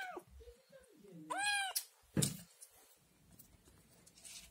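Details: A Scottish Fold kitten, still nursing from its mother, gives loud, rising meows after seeing yogurt, crying to be fed.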